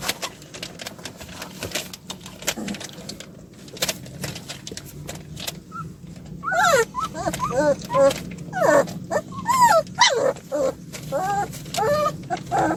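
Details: Puppies, two of a litter of seven, after escaping their play area: quiet indoor sounds give way to a run of high, wavering whines and yips that rise and fall in quick succession, with human speech in the background.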